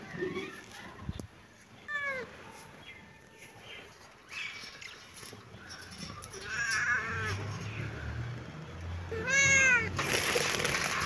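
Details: Baby kitten and cat at play in a happy mood, giving several short, high meows that arch up and down, spaced a few seconds apart, the last one loudest, amid rustling and soft knocks.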